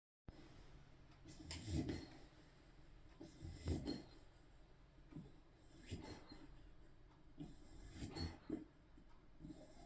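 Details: Ruby, a spaniel, snoring: low, rasping breaths swell and fade roughly every two seconds in a steady rhythm, each with a soft snorting rush, over a faint steady background hum.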